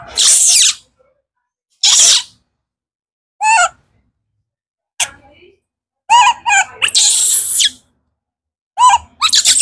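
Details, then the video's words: Hungry for fruit, the baby monkey Kaka alternates hissing, breathy shrieks with short wavering squeals, each outburst cut off abruptly by pauses. "Kaka monkey screams because he is hungry for fruit"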